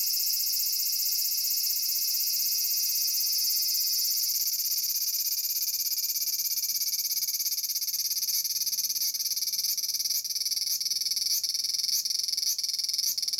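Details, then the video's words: Large brown cicada, Aburazemi, singing noisily in a persimmon tree in Japan: a long, unbroken, high, hissing drone that later turns into a pulsed sizzle with clicks about every 0.6 seconds near the end. "Japanese Cicada 1 - アブラゼミ(Graptopsaltria nigrofuscata)"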